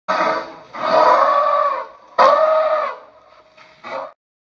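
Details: A giant tusker elephant sounds off with rough, brassy, trumpet-like blasts: two long, forceful calls over a second each, then a brief, quieter final burst.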